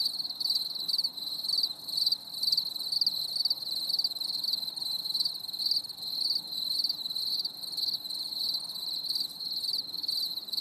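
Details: Crickets chirping on a stormy summer evening, high metallic pulses repeating about twice a second in a steady, slightly irregular beat over an otherwise quiet night.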